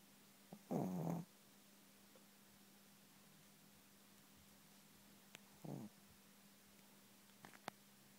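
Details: Sleeping Chihuahua giving soft, low, throaty snores, one longer and one brief, several seconds apart, with a few faint clicks and a constant low hum in a quiet room.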